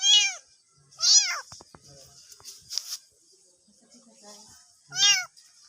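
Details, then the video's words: Cats and kittens meowing, kittens calling for their mother: three loud, arched, harmonic-rich meows, two close together then one after a pause, with faint clicks and rustling between. "Funny Cats and Kittens Meowing Compilation 2021 | Cute Baby Cat Sound Effect"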